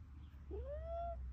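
A caracal-serval hybrid gives a single drawn-out mew that rises and then levels off.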